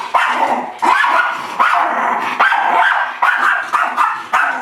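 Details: Cadie, a Miniature Schnauzer confused by and attacking its mirror reflection, gives rapid sharp barks in quick bursts, roughly one every half second, shrill and loud throughout the short stretch.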